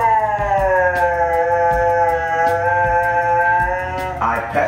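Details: Siberian Husky named Moon, annoyed when her owner pretends to pet her and then doesn't, gives a long drawn-out vocal 'talking' tone that slowly falls in pitch for about four seconds, over rhythmic background music.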